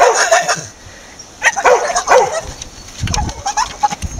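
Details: A Staffordshire bull terrier making strange chattering noises: a few gruff, muttering yips, a quiet gap, then more clipped grumbling sounds and low snorts toward the end.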